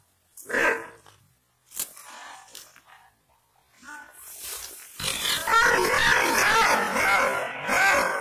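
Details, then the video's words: Kangal shepherd dog of the Aksaray Malaklı type, described as wild, fierce and angry, barking aggressively: a few harsh, broadband bursts in the first seconds, then a sustained, rough, growling outburst. "Aksaray malaklisi Kangal çoban köpeği Anadolu aslanı vahşi hırçın kızgın köpek havlaması urmesi sesi"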